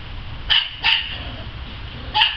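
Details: Pet dog at play in a yard, letting out three bright, clipped barks: two in quick succession, then a pause and a final bark, with low background rumble.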